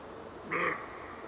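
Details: A single short, rough roe deer bark, harsh and slightly nasal, standing out from a quiet hissing background.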